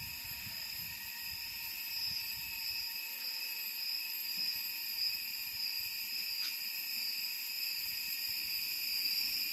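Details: During summer in Da Lat, a mountain city in Vietnam's Central Highlands, cicadas keep up a continuous, shrill, ringing drone of several high tones layered together, barely changing, over a faint low rumble.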